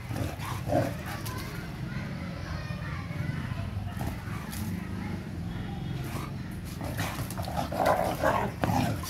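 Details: Pet Mudhol Hound and Kombai wrestling in friendly daily play: steady low rumbling growls with scuffling and panting through the whole stretch, a few sharper vocal bursts near the start and end.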